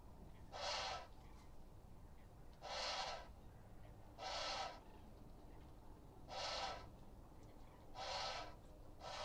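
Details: An Indian crested porcupine (Hystrix indica) gives breathy, hissing, snorting huffs about half a second long, roughly every two seconds; recorded 26 January 2021 by a live camera in the Hula Nature Reserve wetland, Israel, closed to visitors.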